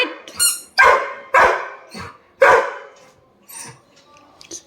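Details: Sam, a Labrador Retriever denied his toy, barks five times at uneven intervals, loud at first then fading, with faint voices and small squeaks trailing at the end.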